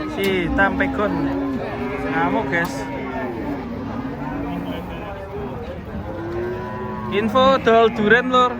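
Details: Giant, fierce cattle being unloaded from a truck, giving a long, steady low moo over the first two seconds, then shorter lowing calls amid overlapping human voices and some background music.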